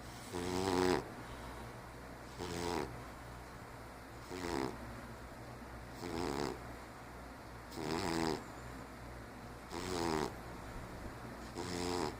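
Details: Asleep, Ralph the 15-year-old diabetic cat gives a steady run of rough, buzzy snores, seven of them, roughly one every two seconds, each breath a short grating burst over quiet background hum.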